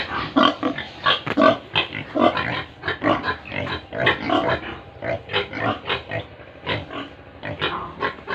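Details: A group of pigs and piglets at a Tripura farm in India keeps up a busy, overlapping chorus of short grunts and snorts, a dense, uneven run of calls that slowly softens toward the end.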